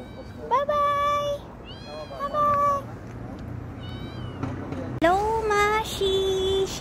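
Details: Mashi, a street cat greeted outdoors in November 2023, meows in three separate bouts of long, level, ringing cries. The last bout is the loudest and longest, over a person's greetings and a distant urban rumble.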